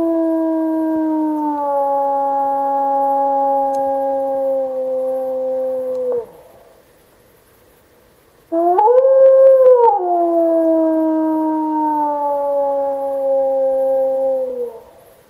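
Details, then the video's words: Wolves howling in the Alpi Apuane park in 2014, the year pups replying to played-back recorded calls confirmed breeding: a long, steady, slightly falling howl lasting about six seconds, a short silence, then a second howl that rises, peaks and slowly slides down. "Wolf howling"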